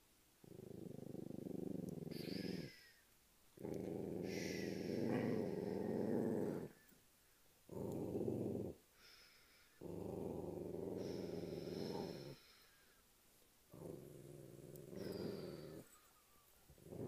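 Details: Possessive dachshund lying on a person's lap after scaring the host cat away from its home, giving low rumbling growls in long bursts of one to three seconds, each broken by short quiet pauses, indoors.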